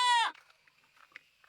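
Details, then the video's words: A goat at a construction site in the Philippines gives one loud, wavering bleat that cuts off sharply, leaving faint background noise; two goats are present, described as crying. "O mój Boże, słyszysz ten dźwięk? Płaczące kozy."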